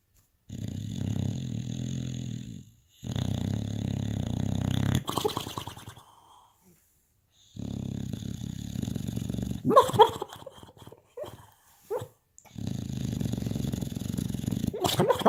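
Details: Olaf, a Boxer dog, snoring while dreaming: long, low, droning rasps in steady breaths, each lasting about two seconds with short pauses between, followed by a person speaking softly.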